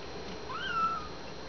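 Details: Young kittens in an indoor pen, nursing and starting to play; one clear, thin mew rises sharply, holds a high, steady pitch, then slides down and fades after about half a second, in a quiet room with no music.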